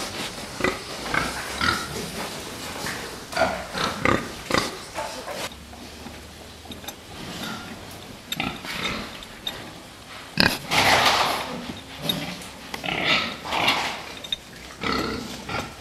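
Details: Fattening pigs producing repeated grunts and harsh squeals, a loud squeal burst near eleven seconds, with clanking in the pen.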